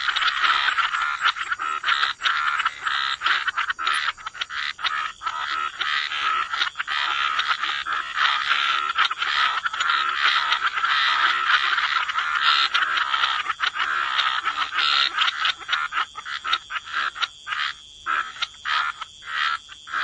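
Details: Frog chorus by the waterside in wetlands: a dense, continuous wall of rasping croaks overlapping without pause, with short gaps near the end where individual pulsed calls stand out.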